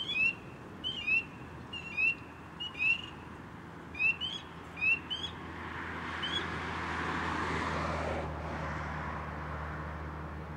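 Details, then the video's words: A frog calling close-up among little branches, ripples around it from its vibrations: short rising whistled chirps with a click-like onset repeat about once a second for six seconds, then fade into broad hissing noise. "Frog close-up ASMR"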